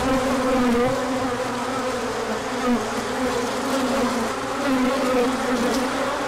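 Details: Crowd of bees on a large orientation flight in sunshine after colder days, 24 March 2024, with pollen inbound afterwards: constant low buzzing hum, gently wobbling in pitch, even in volume.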